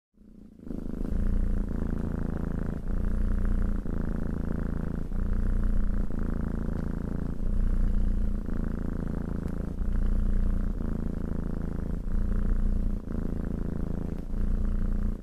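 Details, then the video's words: Domestic cat purring while being petted, a steady low rumbling drone broken into regular breath cycles of about one to two seconds, each inhale and exhale audible as a slight shift in tone. "Cat Petting and Purring"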